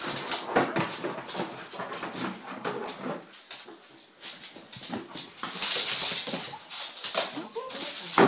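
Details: Monty, a male bull terrier, having his 'funny hour' playing with his basket: short whimpering and grunting sounds amid loud scraping, rustling and thumping as the basket is tossed and shaken.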